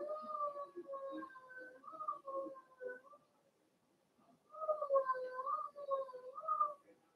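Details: Blenheim Cavalier King Charles Spaniel puppies from Remy's first litter of six, two females and four males, kept indoors in a home puppy pen; high, wavering whines with harmonic overtones, two long bursts separated by a short quiet gap.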